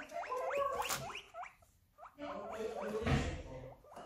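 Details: Guinea pig squealing in rising, hook-shaped notes repeated in quick bursts, with a short pause midway before the calling resumes; rustling and handling noise underneath.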